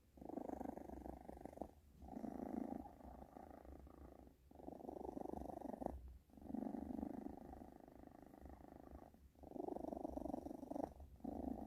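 A British Shorthair cat purrs steadily, a low rumbling vibration broken by brief pauses for breath.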